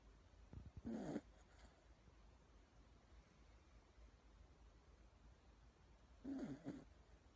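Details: Toy Poodle asleep and snoring very loudly: two short, rough, rumbling breaths about five seconds apart, each lasting under half a second, with quiet between them.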